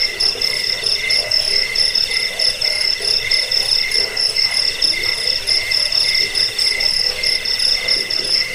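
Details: Several crickets chirp together in a dense, even pulsing. High piercing trills and a softer lower chirp alternate in a quick steady rhythm, played to drive away rats, lull listeners to sleep and tutor caged birds.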